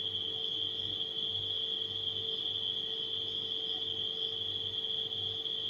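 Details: Steady high-pitched trilling from nighttime crickets holds constant over a refrigerator's hum and a soft, regularly pulsing low rumble.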